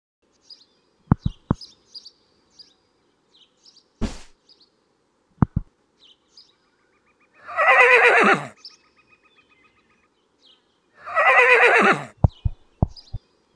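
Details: Horse gives two harsh, noisy whinnies about four seconds apart, each sliding downward in tone, set among scattered sharp clicks and knocks.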